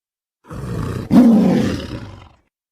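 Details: A single deep tiger roar, opening with a low rumble and swelling into a louder, harsher growling roar of about two seconds.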